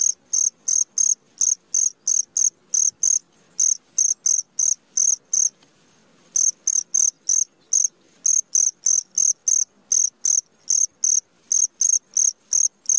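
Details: Cricket heard in the middle of the night, giving rapid high-pitched pulsed chirps about three per second, with a brief pause near the middle before the steady chirping resumes; otherwise a quiet background.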